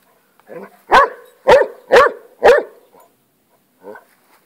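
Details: Rocky, a pet hound obsessed with lizards, barks while confronting a lizard: four loud, sharp barks about half a second apart, framed by a softer vocal sound just before and a brief faint one after.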